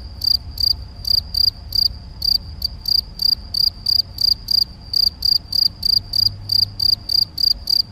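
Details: Field cricket male (Gryllus campestris) singing at Macieira da Maia, Vila do Conde, Portugal, 7 May 2021, recorded with a Canon PowerShot SX70 HS. Loud, shrill, high chirps pulse continuously, roughly three per second, over faint low background hum.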